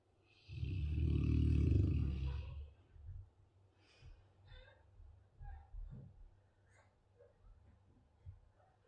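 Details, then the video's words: Dogue de Bordeaux named Marshall, a sleepy dog, snoring indoors: one long, loud, low rumbling snore with a hissing airy edge lasting about two seconds, followed by softer, irregular snuffling breaths. "Marshall dogue de bordeaux snoring , such a lazy sleepy dog"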